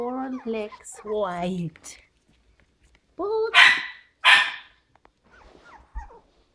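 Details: Five-week-old Havanese puppies, one of a seven-pup litter: a person speaks first, then after a pause come two loud, harsh barks about a second apart, trailing off into faint small yips.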